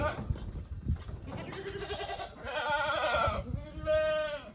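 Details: Domestic goat giving a drawn-out quavering bleat that swells in the second half, preceded by muffled knocks and background noise.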